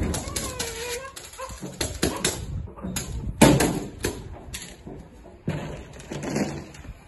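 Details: Belgian Malinois puppy in protection training, giving high, wavering whines with a rising-and-falling pitch, followed by short clattering bursts, scuffling and a man's voice calling French commands.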